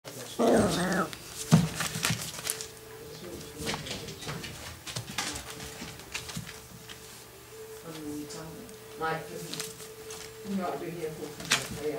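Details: A litter of 6-week-old long-haired dachshund puppies at play. They give a sharp, high yelp near the start, then scattered soft whimpers and scuffling. A person talks quietly over a steady low hum.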